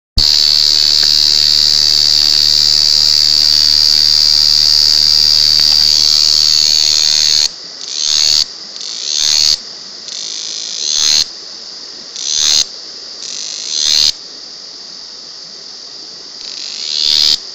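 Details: Cicada recorded at very close range, loud for its small body: a steady high, hissing buzz for about seven seconds, then repeated short bursts that swell in loudness and cut off sharply, roughly every one to two seconds.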